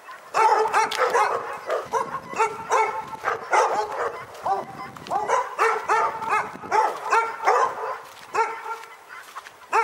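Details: Relentless barking from dogs at Pyrga, nearly ten seconds of rapid, ringing barks, voices overlapping and answering each other with hardly any break.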